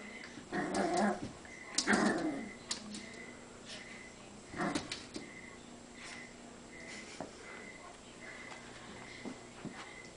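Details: Indoors, a Cavalier King Charles spaniel puppy fights himself in the mirror. Two loud, gruff growling bursts open the recording, a shorter one follows a few seconds later, then near quiet with faint ticks.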